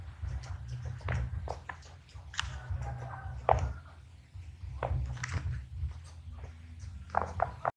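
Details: Small guinea pig munching in a close ASMR recording: separate crisp bites and chewing crunches with short pauses between them, set against a steady low hum in a small room.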